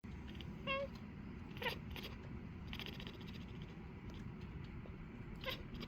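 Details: Maine Coon cat chirping: three brief, bright chirps with stacked overtones, two close together near the start and one near the end. They rise over a steady low rumble, and the room is otherwise quiet.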